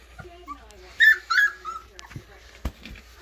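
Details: Alaskan Malamute puppy Velma hiding among playing littermates: a few high, thin whimpers rising and falling, the loudest pair near the middle, with soft scuffling and faint thumps around them.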